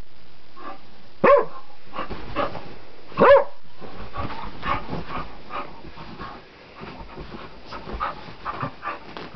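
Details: ['Two loud, sharp barks about two seconds apart from a wild dog played with on a flower bed, followed by fainter panting and rustling.']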